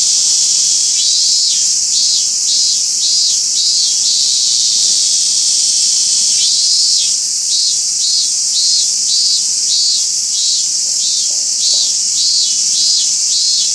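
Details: Robust cicada from the small population at Toyanogata Park. Two series of fast repeated pulses, roughly two per second, are separated by a short pause. Unbroken high insect noise fills the background throughout.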